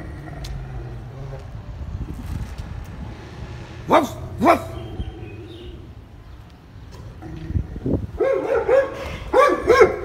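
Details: German Shepherd dog barking in a noisy setting: two separated barks, a quiet pause, then a fast run of short, repeated barks at the end over low background rumble.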